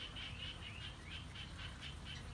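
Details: Frogs (the speaker is unsure whether they are frogs or small paddy frogs) give short, high chirping notes, repeated several times a second, over a steady low rumble of heavy rain by cool, harvested rice fields in Thailand.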